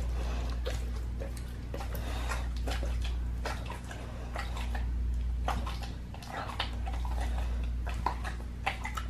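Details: Pit bull eating a raw leg of lamb indoors, raw feeding: wet crunching and tearing chews in irregular bursts, several a second, over a steady low hum in a small room.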